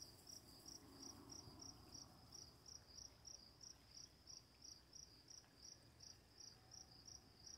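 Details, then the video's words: Crickets in the night give a run of bright, high chirps close to three each second, with running water murmuring low underneath. "Crickets, Running Water, Night Sounds"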